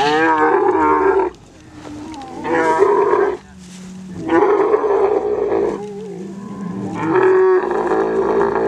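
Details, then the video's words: Kharai camel breed from the coastal taluka of Kutch, Gujarat, mating: four loud raspy roaring bouts of about one to two seconds each, alternating with quieter low rumbling gaps. "Kharai camel mating"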